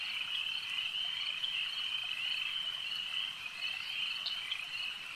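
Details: A massed chorus of frogs by a lake: shrill, even, pulsing trills held without a break, a few clearer chirps standing out near the end.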